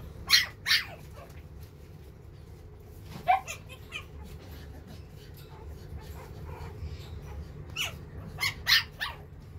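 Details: Silver-coloured male puppy with a round face at a breeder, letting out high, sharp yapping barks, singly and in pairs, with quiet gaps of a few seconds between them and a low hum beneath.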